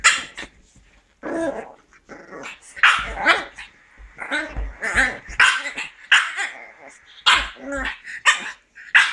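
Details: Pug puppy playing with a can of beer, giving a burst of sharp barks and growly yaps in irregular bouts, a few short quick calls between pauses, indoors.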